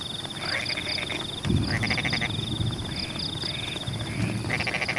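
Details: Several frogs call in rainy rice fields among the embankments, giving rapid rattling croaks in repeated bursts that overlap one another. A thin, continuous high insect trill runs through, with a dull thud and steady rainfall beneath.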